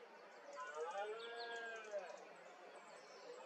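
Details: Red deer stag bellowing in the 2021 rut in Asturias, a male seeking mates while others copulate; one faint, drawn-out moaning bellow lasting about a second and a half, its tone arching up then sagging, over steady background hiss.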